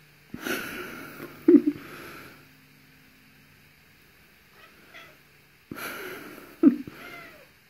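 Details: Mittens, a pet cat with a tiny voice, calls in a bathroom during a peekaboo game around the corner: two brief breathy, squeaky calls with a raspy edge, about five seconds apart, separated by near silence.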